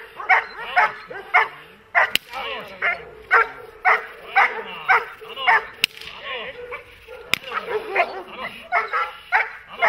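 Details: Working dog of a protection-trained breed such as German Shepherd or Malinois, barking steadily and forcefully, roughly two barks a second, with occasional sharp whip-like cracks and voices in the background.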